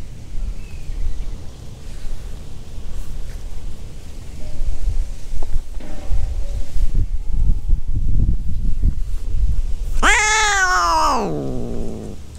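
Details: Adult cat in heat on Aishima, the cat island of Fukuoka, Japan, during mating season, near a light ginger tabby kitten; one loud drawn-out wailing yowl falling in pitch near the end, over rustling and low outdoor rumble.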